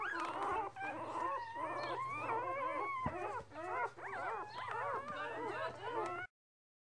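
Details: Litter of six two-day-old purebred Border Collie puppies, one brown and five black and white, crying in continuous overlapping wavering whines and squeaks, brief pauses near one and three seconds, steady low hum underneath, ending abruptly.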